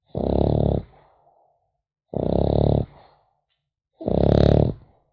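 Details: French Bulldog puppy asleep indoors, snoring in rough, rasping bursts of about half a second, three snores spaced roughly two seconds apart with quiet pauses between, in a still small room.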